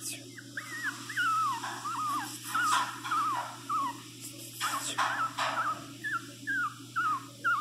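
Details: Pinscher dog Teco whining during flea treatment: a string of short, wavering whimpers, each dipping and rising, repeated roughly twice a second, mixed with rustling and handling noises.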